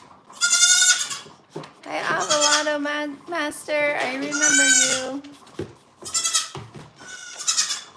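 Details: {'text': 'Several goats at a farm bleating over one another, high wavering cries mixed with deeper drawn-out bleats, almost continuous for eight seconds, with brief quiet gaps near the end.'}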